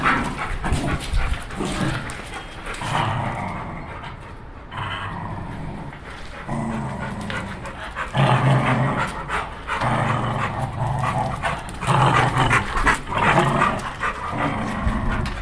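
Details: Scott, a pit bull, growling and panting during rough play, low rumbling growls swelling in bursts around eight and twelve seconds, with scuffling and a man calling the dog in Portuguese.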